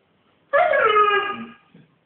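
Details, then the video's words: Siberian Husky named Yukon 'talking' to say hello: a single sustained, rich harmonic howl lasting about a second, starting higher and sliding down smoothly, then a faint brief trailing whine. "Yukon talking husky he loves to say HELLO"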